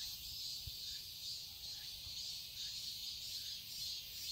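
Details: Shrill, seamless cicada drone from a garden in Seoul, Korea, in summer, high and buzzy with slow waves of loudness, a few soft low thumps in the background.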